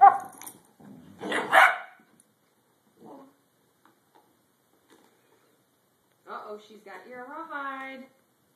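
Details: Two Redbone Coonhounds playing: harsh, broadband barks in short bursts, followed by a longer, tonal, bay-like yowl that rises and falls in pitch, with people talking between the sounds.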